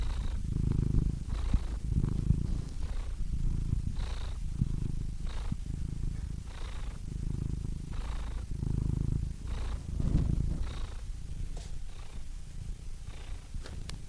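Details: Cat purr held for a long stretch: a continuous low throbbing rumble, with softer breath cycles repeating roughly every second or so and faint soft clicks. No other sounds are heard.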